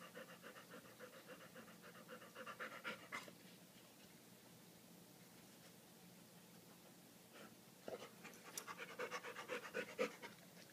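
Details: London, a dog playing indoors with a favorite rock he pulled from a creek, happy and puppy-like; quick rhythmic panting in breathy bursts, strong for the first three seconds, fading through a quieter middle, then returning in rapid huffs near the end.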